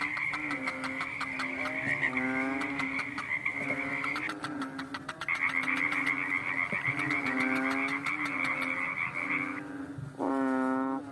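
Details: Frog calling at night with short, nasal, reedy croaks repeated at an uneven pace, then one loud burst at the end. A steady high drone and rapid ticking clicks are heard alongside.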